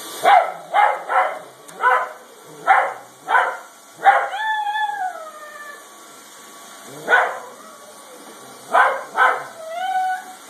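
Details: An Italian greyhound, reacting to a vacuum cleaner, gives a run of sharp, high yips and a drawn-out howl that rises, then sags.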